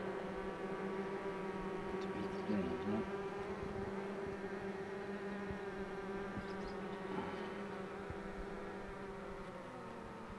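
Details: Continuous honey bee hum as the queen box is pulled, a deep, smooth buzzing drone with stacked overtones holding steady; faint handling knocks appear now and then.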